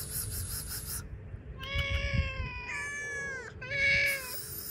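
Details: Hungry cats outdoors with cut fish: two long, level, harmonic meows follow a burst of hissing noise, with low thumping sounds underneath.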